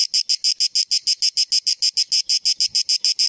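A cicada sings a steady series of harsh, buzzy pulses, about six each second.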